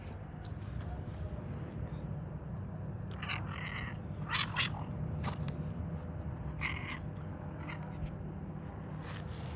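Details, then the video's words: A gray domestic cat purrs in a steady, low, continuous rumble, with a few soft clicks and rustles. "Purring Gray Cat"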